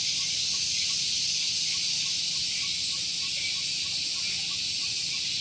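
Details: Morning cicada (tonggeret) song at Gunung Geulis, Bogor, West Java, recorded near a vehicle parking area. A constant piercing electric hiss with quick, even pulsing, and faint soft notes lower down.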